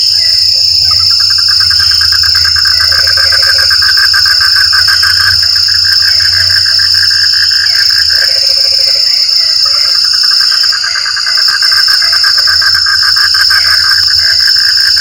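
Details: Frogs calling in the rain: a rapid, pulsing chatter in a steady trill, with low croaking notes breaking in around three and eight seconds, over a constant high insect drone.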